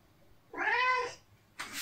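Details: Male domestic cat meowing indoors near the litter box while it is being cleaned; a single drawn-out, rising-then-falling meow of about half a second, followed by a short rustling noise, with a woman talking to the cat nearby.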